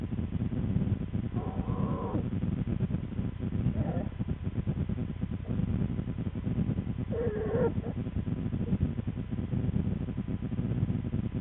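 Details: American black bear cubs, twins of the mother Lily, in their winter den on February 13, 2013; short wavering cries at intervals over a steady low rumbling background hum.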